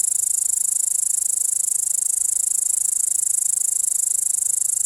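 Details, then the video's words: Steady, high-pitched rasping buzz of a grasshopper, unbroken for the whole stretch, with fine rapid pulsing in its loudness and nothing else audible. "Grasshopper making sound"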